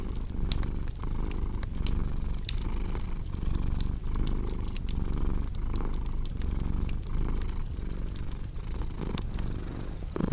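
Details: Continuous cat purr, a throaty rumble rising and falling with each inhale and exhale through ten seconds, accompanied by frequent crisp crackling of a fire.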